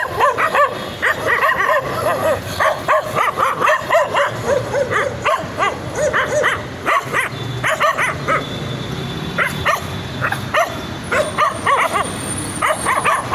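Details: Excited puppies bark continuously: short, high yips and arching barks come in rapid clusters, with a low steady hum running underneath much of the time.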